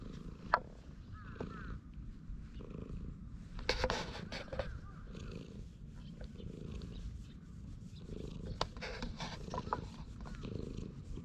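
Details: Low, continuous purr from a stray cat relaxing on a bench as it is petted, recorded with a GoPro HERO8; a soft rumble runs throughout, broken by brief handling rustles and scattered higher chirps.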